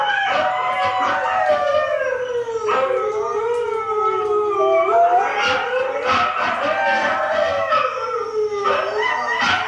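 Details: Pet dog Hailey sings along with a recording of huskies howling; long layered howls slide slowly downward, then swell again, several voices overlapping throughout with brief yips and breaths between.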